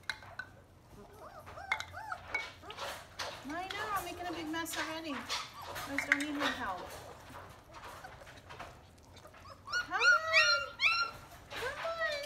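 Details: A litter of German Shepherd puppies at three weeks old, newly walking with eyes opening, whine and yelp repeatedly, with longer drawn-out cries and a late rising-falling burst, over a woman's talking and handling noises.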